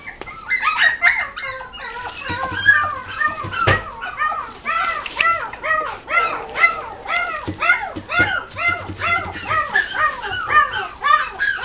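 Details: Chihuahua and Dachshund cross puppies in a pet shop in Nagoya, giving a steady stream of high, arched yelps and whimpering barks, several per second, with faint voices and a few knocks behind.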